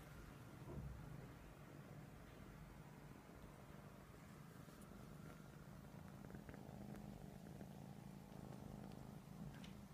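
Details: Persian cats cuddling; a quiet, low steady purr runs through the clip with faint clicks and light handling noise.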